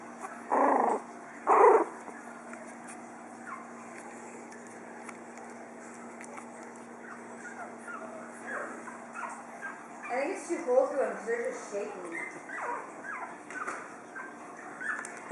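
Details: Four-week-old Pug puppies: two loud, short yelps near the start, then quiet stretches and a cluster of soft whimpers and squeaky whines toward the end, over a steady low hum.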